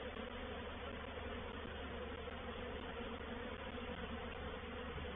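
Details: Honey bees of a reproductive swarm taking over a bait hive at Painted Peacock Manor on 4 July 2021, heard as a constant, dense, low buzzing drone.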